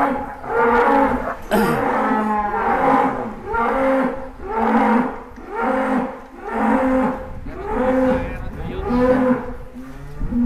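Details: A giant cow, weighed at over 1.4 tonnes, gives a long series of loud, deep, harmonic moos, about eight calls repeated roughly every second and a half, each swelling and fading with no other clear sounds.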